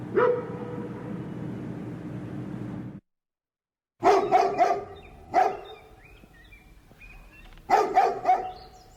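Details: Large dog barking in the distance in an urban residential neighbourhood: a steady droning sound for three seconds, a brief silent gap, then short clusters of deep barks, two or three at a time, with faint bird chirps between them.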